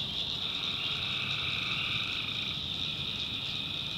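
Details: Night chorus of tree frogs from the swampy backwoods of North Carolina, a steady shrill buzzing wall of overlapping calls, with a softer lower layer pulsing underneath throughout.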